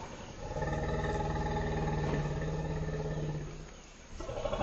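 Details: Intense greeting between two female African forest elephants, an extended family meeting in a Dzanga forest clearing, Central African Republic: a deep, steady, richly harmonic rumble of about three seconds fading out, then another rumble beginning at the end.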